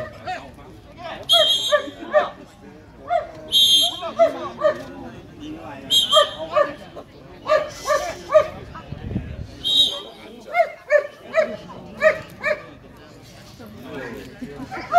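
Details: German Shepherd stud dog at the Vietnam Sieger dog show 2019: sharp, loud barks repeated roughly every second or two throughout, with some speech in the background.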